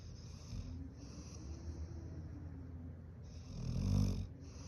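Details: Golden Retriever, a large pet dog, snoring while pretending to sleep indoors: a low, rumbling breathy snore swelling near the end over a steady low hum.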